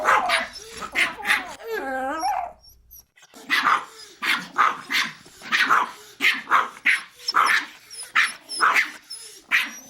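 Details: Small dogs barking steadily in quick, sharp yaps, with a brief wavering whimper and a short pause before the regular barking continues.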